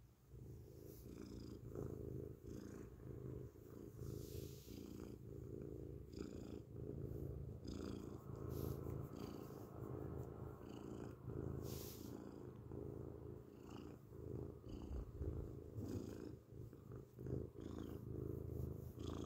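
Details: Grey house cat purring loudly up close, a sustained low rumbling drone swelling and fading in a steady breathing rhythm, with frequent light rustling and handling noises.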